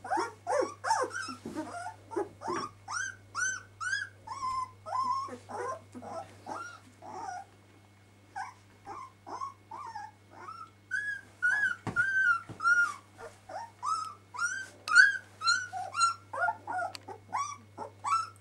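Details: Twelve-day-old puppies of Kiska whimpering: a steady stream of short, high, arched squeaks about twice a second, several pups crying over one another, in a quiet room.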